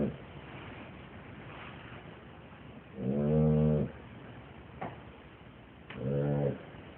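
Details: Dog asleep and snoring heavily: two vibrating, low, tonal snore bursts about three seconds apart, with faint clicks and soft background hiss in the quiet stretches.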